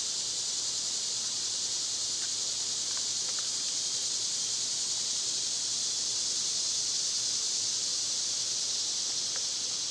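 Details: A loud summer cicada drone fills the air with a steady, high, hissing buzz. Scattered faint ticks and clicks are heard beneath it.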